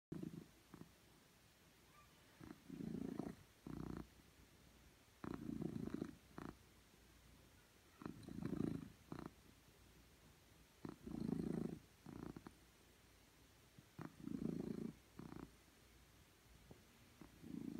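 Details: Domestic cat purring while on a laptop, indoors; low rumbling purr in pulsing bursts roughly every three seconds, with quieter stretches between and scattered sharp clicks and taps.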